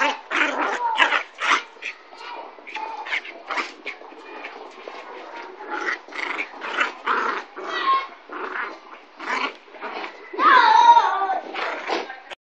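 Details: Young Kooikerhondje Zorra, nine and a half weeks, at play with a dog eight weeks older: rapid, choppy growls and snarls, about three a second, ending in a louder whining yelp.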